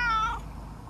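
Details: Single short, bright meow from a talkative stray tabby-and-white cat that rubs and licks back after being stroked, falling slightly in pitch and fading within half a second.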